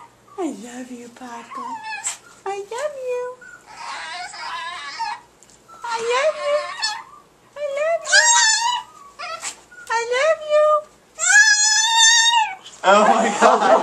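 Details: Paco the Chihuahua, a house pet, repeats his human-like "I love you" sound again and again: short, wavering, singsong whines gliding up and down, alternating with people saying the phrase back and a burst of excited talk.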